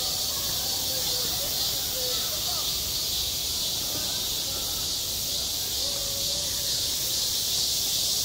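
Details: A summer cicada chorus at a school playground: a continuous piercing buzz-hiss that holds steady, with faint, low, distant voice-like sounds beneath it.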